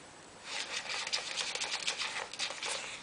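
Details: Dry scratchy patter and rustling, like claws scrabbling over a surface in a small room during ferret play, with no animal calls heard.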